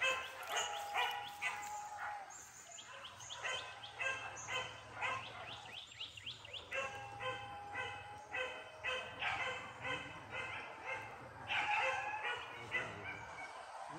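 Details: A chorus of dogs bays with rapid, rising yelps and rhythmic barks, several calls a second, during Max's debut training at a PORBI hunting meet by Sungai Pingai; a faint low hum lies underneath.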